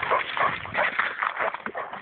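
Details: Dog that has spent hours chasing a squirrel now trapped up a tree, giving a continuous run of excited whining and yelping pulses, several per second, recorded on a phone.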